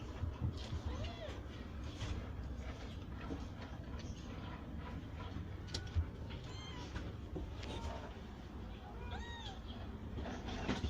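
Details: Grown kittens of mother cats rescued from the street, kept safe indoors in a cat house, give several short, thin, rising-and-falling meows scattered across the recording, over a low background rumble.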